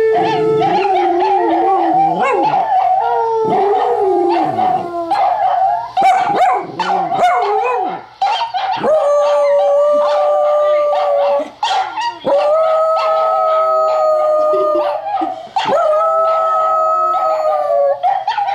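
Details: Nana, a pet dachshund, howls at Dog Television indoors as Trygg watches silently. Sustained, quavering howls alternate with short yips early on, then steady high tones with falling tails, repeated every two or three seconds.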